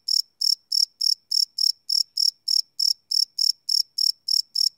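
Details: High, shrill cricket chirps at night, recorded live on a Sony PCM D100 field recorder, pulsing evenly about three times a second in a quiet setting.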